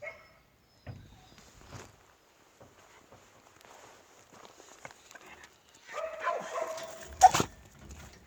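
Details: Native-bred Jindo dog, with scattered knocks and quiet rustling before a late run of several rapid barks that ends in a loud, sharp clatter.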